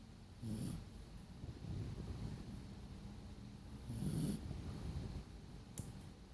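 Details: A sleeping dog snoring, with two louder low rasping snores near the start and middle plus softer breathing rumbles between them, against a quiet background hiss.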